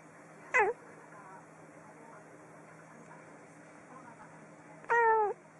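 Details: Domestic cat meowing indoors: two short harmonic meows, one falling and one bending down then up, about four seconds apart, over a steady low hum and faint background murmur.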